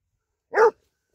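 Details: Basset hound digging with a person for a ground squirrel in a vineyard, giving a single short, loud, full-toned bark, otherwise silent.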